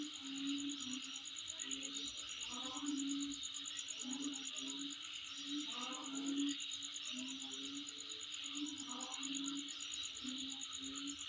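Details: Insects keep up a constant high, finely pulsed trill over a buzzing hiss, with a low droning tone and brief rising calls scattered throughout.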